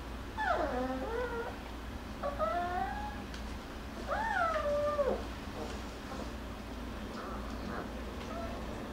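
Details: Beagle–Jack Russell cross puppies at play, wrestling and crying: three drawn-out, wavering whines that slide and bend in pitch, each about a second long, then faint softer whimpers over a steady low hum.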